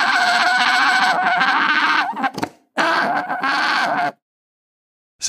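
An alpaca gives two long, shrill, nasal cries, each held steady for a second or two.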